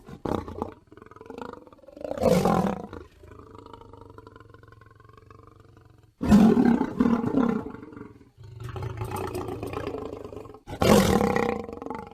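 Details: Lion. Deep, rough roars from a lion come in loud bursts around the second, sixth and eleventh seconds. Softer, steady low rumbles fill the gaps between them.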